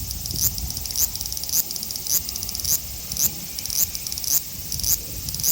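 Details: Male large brown cicada (Graptopsaltria nigrofuscata), Osaka City, Japan, 5 August 2019, captured with an Xperia XZ1; a high hissing drone that swells in short bursts nearly twice a second, over low background noise.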